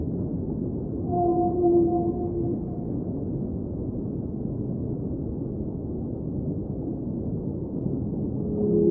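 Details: Whale singing underwater: a few low, drawn-out tonal moans with faint higher overtones appear early on, then fade into a steady deep rumbling underwater wash.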